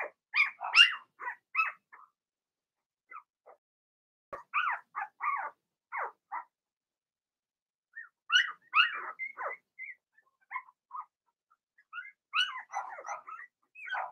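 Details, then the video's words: Cavalier King Charles Spaniel puppies, a Blenheim litter of six in the puppy pen, bark and yip in quick, high-pitched bursts, several pups overlapping, with short pauses between noisy flurries. "Cavalier Puppies Bark, Howl"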